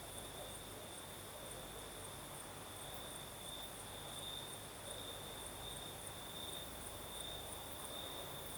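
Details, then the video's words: Night chorus of crickets in southern Crimea, a continuous unbroken high-pitched trill holding one tone, with fainter pulsing above it and a soft rushing night breeze underneath. "Сверчки поют"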